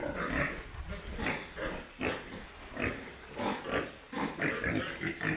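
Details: Piglets on a pig farm making a rapid series of short nasal grunts and squeaks, roughly three per second, fairly even and busy throughout.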